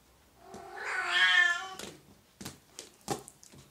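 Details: Oriental or Siamese cat giving one long drawn-out meow indoors, strongly harmonic and rising then falling over about a second, followed by a few soft clicks and taps.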